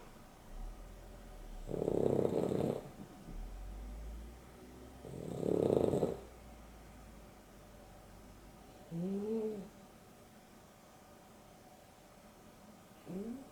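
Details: Afternoon nap of two dogs, Boston Terrier and Beagle mix named Dexter and Rio; two loud raspy snores about four seconds apart, soft exhales between, then brief whistling upward-curving nasal snorts near the end.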